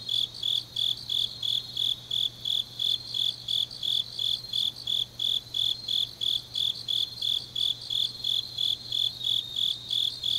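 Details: Grass insects on a deep autumn night in Changnyeong, South Gyeongsang, Korea: a high, even chirp pulsing about three times a second without pause, over a faint steady low hum.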